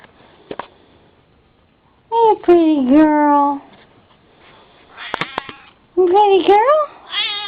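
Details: House cat Sassy meowing indoors: a long call that dips then levels off, followed by a wavering, bent meow, mixed with a woman's soft affectionate chatter and small clicks.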